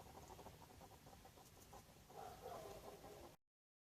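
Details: A garden hedgehog asleep in its nest box, snoring with a quick, even patter of muffled low throbs that grows a little stronger near the end before cutting off abruptly.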